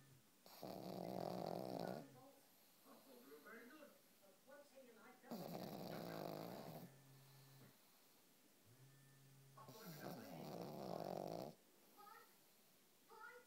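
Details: A pet pug, newly part of the family, asleep and snoring like a human: three long, loud, rasping snores of about 1.5 seconds each, coming roughly every 4.5 seconds, with quieter breathing between.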